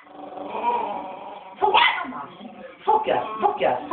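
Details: An angry 3-month-old West Highland White Terrier puppy keeps barking: a long rough growling whine, then several short yappy barks and grumbles in a small indoor space.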